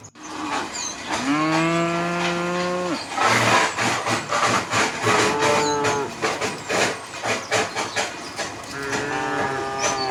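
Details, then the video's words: Herd of tame cows walking through a quiet village road toward rice fields; a long harmonic moo with a low steady tone, followed by a stretch of clattering, rhythmic hoof and movement noise, then a second, shorter moo near the end. "the sound of cows mooing along the way"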